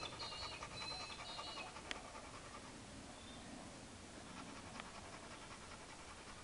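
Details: Rapid breathy panting from Chad, a hyperactive 4-year-old Labrador, left alone and unobserved, about 154 quick huffs per minute, strongest in the first two seconds, with a brief high squeak and background hiss.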